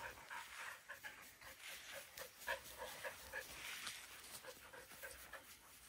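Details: Afternoon panting from Border Collie Bly, a dog that has excitement-induced seizures, now looking calmer than in the morning; brisk breathy pants over three per second, with short voiced squeaky edges mixed in.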